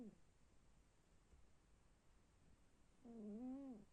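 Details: A snoring cat gives a single low, tonal snore near the end, wavering slightly and then falling away. Before it, only quiet breathing noise and a faint steady hiss are heard.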